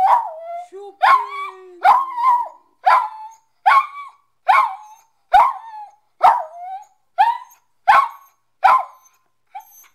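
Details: Corgi at home howling along to Chopin's Prelude Op.28 No.7 played on piano; short yelping howls, each sliding down in pitch, repeated roughly every second, over a held piano note early on.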